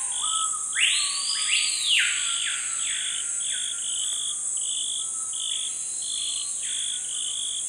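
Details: Pygmy marmoset visiting a scarred tree to feed on its sap gives thin, high whistled calls that arch up and down over a steady insect drone.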